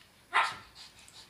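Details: Shih Tzu dog at play indoors gives a single short, sharp bark, bright and clipped, followed by a second of quiet room tone with faint fainter sounds.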